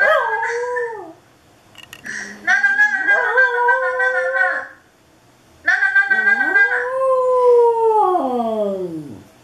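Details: Dog howling to a webcam: a falling howl, a rising scooped howl held steady, then after a silence a long howl that swells and glides smoothly down to a low finish.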